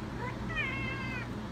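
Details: Female house cat answering when asked indoors whether she is hungry: a single clear meow of about three quarters of a second, level then gently falling, over a steady low hum.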